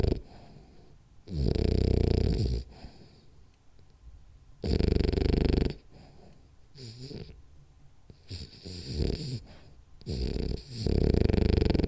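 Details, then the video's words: Rolly, a French Bulldog, snoring through a power nap: loud rasping snores about two seconds long come at irregular intervals, separated by quieter breathing with faint whimper-like wavering tones between them. "French Bulldog Snores Hard For 10 Minutes [Then Has Bad Dream]"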